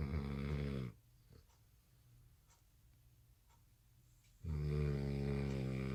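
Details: Tired American Bully puppy fast asleep at night after no nap following dinner; a loud buzzing snore trails off, about three seconds of near silence follow, then another deep rattling snore begins.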